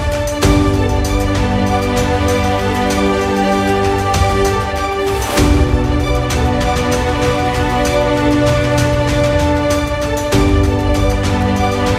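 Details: Steady background theme music with sustained tones and a soft pause near the middle, with no barking or other animal sounds.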